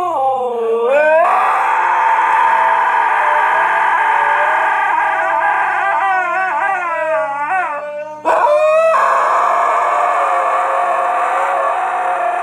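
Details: Two huskies in Canada howl together to a piano, in long, wavering tones that slide up and down over the piano notes.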